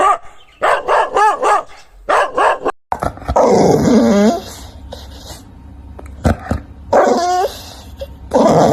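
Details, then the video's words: Dog barking in quick runs, then a longer drawn-out, wavering growling whine, a few isolated barks, and a final bark burst, with some room noise between. "เสียงหมาเห่า โฮ่งโฮ่ง"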